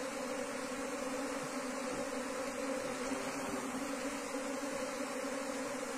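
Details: Droning of a wild Asian honey bee colony during its relocation into a cultivation hive box, a constant low hum layered over a broad hiss, with no pauses and only slight swells in loudness.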